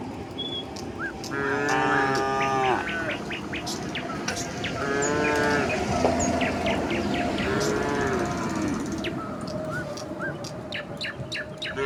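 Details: Tame village cattle running down a hill toward their pen in the countryside. Several long, drawn-out moos follow one another and overlap, some rising then falling, with short high chirps and clicks scattered in the background.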